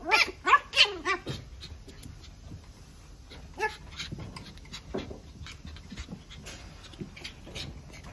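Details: A red female toy poodle gives a quick run of high, whiny yelps, then goes mostly quiet.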